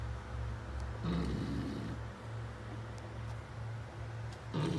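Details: A Beagle snoring: a low, rough rasping snore swells for about a second, then quiet breathing under a steady low hum, with a second snore beginning at the very end.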